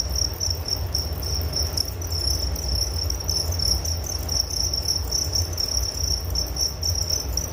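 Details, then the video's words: A chorus of crickets recorded as relaxing nature ambience: piercing high chirps pulse in short rhythmic bursts throughout, layered over low continuous rumble. "Relaksasi Suara Jangkrik Penghantar tidur || Nature Sound of Crickets"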